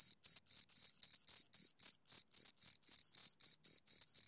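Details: Cricket chirps from two insects, shrill pulsed bursts, several running together into longer trills, then returning to quick separate chirps about four per second.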